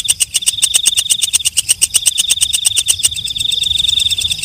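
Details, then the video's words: Katydid called walang kecek ticking rapidly over a shrill steady tone. Near the end the separate clicks fade and it settles into a smoother continuous high buzz. "Suara Walang Kecek/ Belalang Malam"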